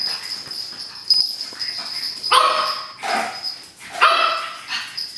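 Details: A three-month-old pug puppy going wild with a paper towel roll gives a few short, high, yelping barks in quick bursts.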